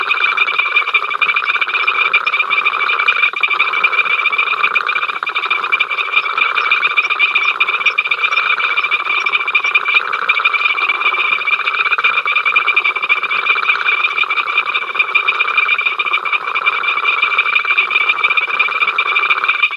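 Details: Many frogs calling together at Ol Donyo, filmed by the africamLIVE live camera on 05 October 2023, an incessant row: a dense, unbroken chorus of rapid rattling croaks with steady high trills, no pauses for the whole stretch.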